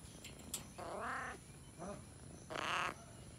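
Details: Jungle cat (Felis chaus) recorded in a Sri Lankan national park: two strained, wavering meows about a second long, rich in harmonics, over a constant high insect drone.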